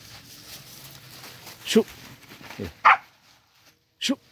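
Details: Hunting dog in the forest in cool weather, barking on a scent trail: three sharp, loud barks roughly a second apart, with a low hum and men talking in the background.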